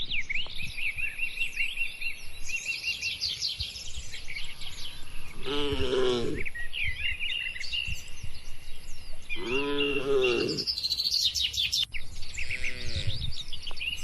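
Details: In a peaceful cattle barn during feeding, three rich moos rise and fall at about 6, 10 and 13 seconds, while small birds chirp continuously overhead.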